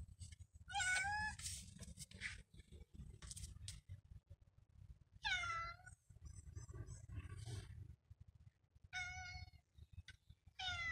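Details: Domestic cat meowing: four loud, drawn-out meows with a falling, slightly wavering tone, spaced about four seconds apart, with low rumbling background noise and soft clicks between them.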